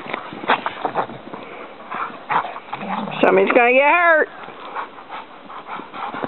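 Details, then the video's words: Dogs playing wildly on a surprise snow day; one long, wavering, whine-like yowl rises and falls over about a second amid scuffling, panting and rustling play noises. "Crazy Dogs"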